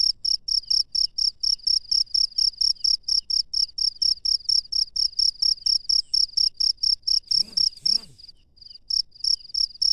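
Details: Cricket calling at night in the wild: rapid, even, high-pitched chirps about four per second, briefly interrupted near the end by two soft low sounds and a short pause before the chirping resumes.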